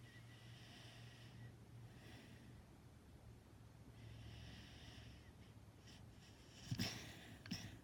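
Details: Lulu, a pet dog, snores while dreaming: soft, breathy, low rasping snores in slow rhythmic waves roughly every two seconds, ending with a couple of sharper snorts.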